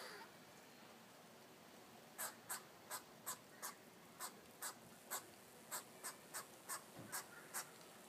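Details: Squirrel yelling at a cat: after a quiet opening, a run of about fourteen sharp, dry, broadband barks, spaced roughly every third to half second, over a faint steady background hiss.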